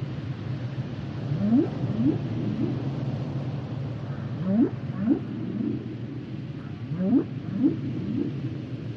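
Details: Humpback whale song with repeated phrases of rising whoops, three upswept notes in quick succession, returning roughly every two to three seconds over a rumbling undersea background.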